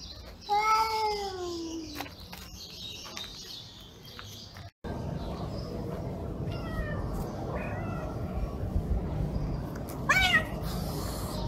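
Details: Angry cats growling and meowing loudly at each other: one long wavering yowl falling in pitch opens, then rumbling background noise, faint short cries and a brief rising wail near the end.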